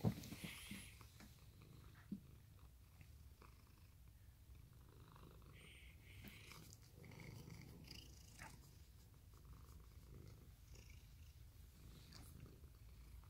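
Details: Male orange tabby cat named Mikan, a former stray who loves people and hugs and licks, purring in a steady low rumble throughout, with a few soft clicks and rustles of handling and a faint room hush.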